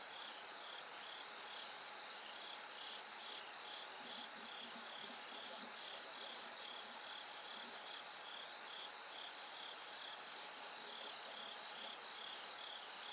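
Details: Bell cricket singing through the night as it gradually grows light toward dawn: a high, pulsed trill of short repeated bursts in a steady rhythm over a dense insect chorus, with faint low murmurs around the middle.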